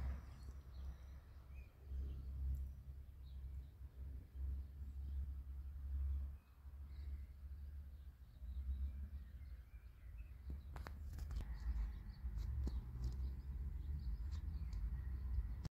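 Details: A cat falling asleep in the sun purrs in a steady low rumble, pausing briefly between breaths, with faint outdoor background noise and a few sharp clicks near the end.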